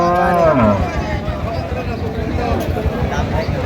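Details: Cow, an improved-breed dairy cow or calf, at Raniganj cattle market in Dinajpur, Bangladesh, on 19 November 2025: a short low moo that slides downward and fades within a second, followed by market noise and crowd chatter.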